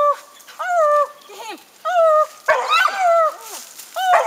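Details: Gator, a young dog, trees a raccoon and barks at it for the first time: long, level, tonal bawls about a second each, spaced by short pauses, with a few clipped yelps between.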